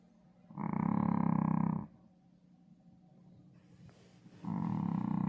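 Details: Pet dog named Cream sleeping comfortably, snoring in two loud, buzzy, rattling breaths about a second long each. They are spaced roughly three seconds apart, with quiet breathing in between.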